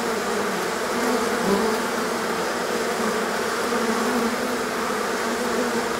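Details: A colony of honey bees swarms on a warm day after prolonged rain and cold kept them indoors; an unbroken, even droning buzz with wavering low hum tones fills the whole stretch.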